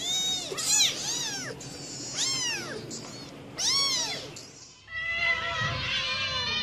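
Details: Three or four arched, wavering meows from a cat, rising and falling, followed by a different, flatter drawn-out cat cry with a low rumbling underneath.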